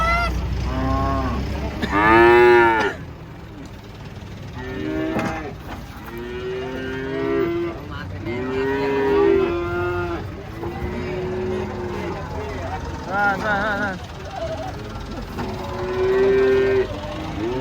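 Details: Big cattle being unloaded from a truck, bellowing repeatedly, with long moos every few seconds from several animals, some strained and higher, over a low mechanical hum.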